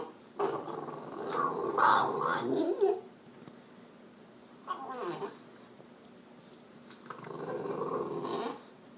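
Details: French Bulldog indoors, vocalizing because it wants its owner off the computer and outside: three bouts of throaty, grumbling, whine-like noises, the first longest at about two and a half seconds, separated by quiet gaps.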